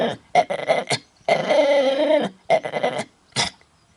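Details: Dog with a bad cough trying to sing in Bredagh, Carrigallen, County Leitrim, late August 2016: short rough yelps, then a sustained wavering howl over a second long, followed by further choppy raspy bursts.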